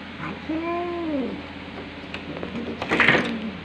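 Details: Calico mother cat, indoors, two days after giving birth, aggressively protecting her newborn kitten from an intruding tabby and white cat, filmed 3 June 2022 around 5.23 PM; a single drawn-out rising-then-falling meow with clear harmonics, followed by faint rustling and clicks.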